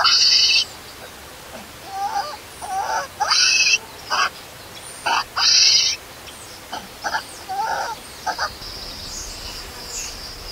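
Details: Hungry baby monkey left alone by its mother: loud shrill screams come in bursts at first, then fade into softer, scattered whimpers and short squeaks over a quiet background.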